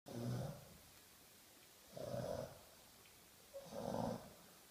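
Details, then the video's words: Brutus, an English Bulldog, snoring in his sleep indoors: three rough, rasping breaths about two seconds apart, each a low buzzy rumble with a nasal middle band, quiet room between. "Brutus, the snoring of the Bulldog"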